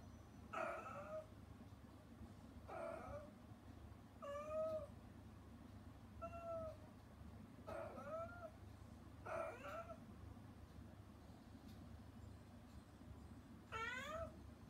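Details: A rescued mother cat named Hana, kept out while her kittens eat weaning food beyond frosted glass, keeps calling toward them: seven separate meows spaced one to three seconds apart, some short and falling, others long and rising, steady hum behind.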